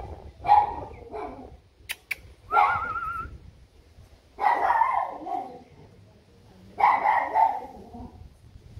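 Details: Heavy-boned Labrador Retriever puppies giving short yelping barks and whiny cries in four separate bursts about two seconds apart, one with a wavering whimper, with quiet gaps between.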